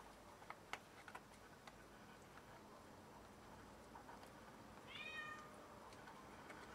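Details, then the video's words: Cat showing off a freshly caught rat, uttering one short falling meow late on, after scattered taps and faint background voice. "Cat caught a rat and brought it to brag about it!"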